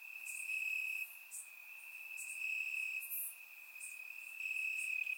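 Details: Crickets calling from grass at night in Bulgaria during a warm summer evening: an unbroken high-pitched trill dominates, with a few sharp faint chirps of other insects scattered higher up.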